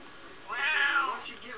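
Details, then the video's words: Smokie, a talkative female cat, gives one loud, bright meow that swells and then fades slowly, as if answering her owner's question about her problem. "talking to my cat smokie"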